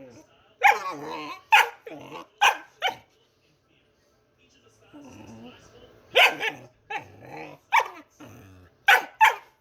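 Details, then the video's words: A pet dog making funny noises: bursts of rough, growly barks in quick clusters, a short pause with a low grumble, then more barking yelps. "Anni Makes Funny Noises"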